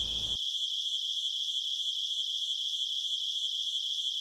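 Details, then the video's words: Crickets at night producing an unbroken, high, pulsing trill that holds steady for the whole stretch, with nearly no other sound after a brief low noise at the start. "cricket sound for relaxing,deep sleep,insomania,asmr"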